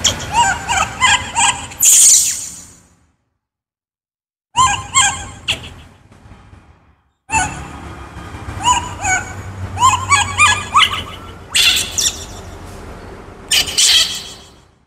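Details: Baby monkey named Kaka, described as a wild monkey, screaming because he is hungry for fruit: loud, harsh, high-pitched screams in repeated bursts with strong harmonics, broken by abrupt silent gaps.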